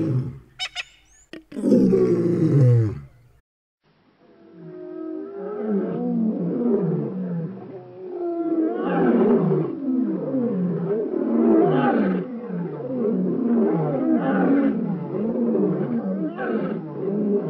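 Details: Two young male African lions near Boyela Waterhole in Kruger National Park: a loud low burst and sharp clicks open, then a long run of deep, harmonic, grunting roars rising and falling in quick, uneven succession.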